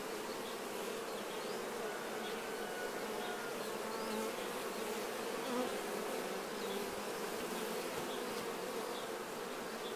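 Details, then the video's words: Many honey bees buzzing as they clean nectar off themselves during honey harvesting; a continuous droning hum with shifting individual wing tones weaving through it and occasional louder passes. "Czyszczące się pszczoły."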